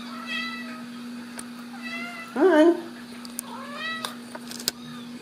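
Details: Ragdoll kittens from a home cattery in central Kansas giving high, thin mews with rising and falling arcs, one louder squealing cry in the middle, a woman coaxing softly, occasional clicks and a constant low hum.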